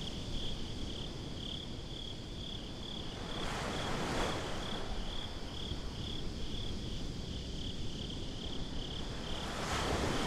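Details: Crickets chirping at night at the beach: a steady, high, rapidly pulsed trill holds one pitch throughout, over a constant low rumble of surf and wind, with louder waves washing in around the fourth and tenth seconds.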